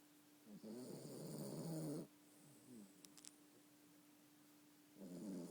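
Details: A Yorkshire Terrier asleep, giving a long harsh snore of about a second and a half, then quiet breaths and a few light clicks before the next snore begins, with a steady low hum in the room.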